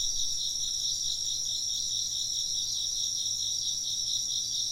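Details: Unbroken insect chirping, many rapid, pulsing high trills blending into a shimmering wall of sound, with no other clear sounds.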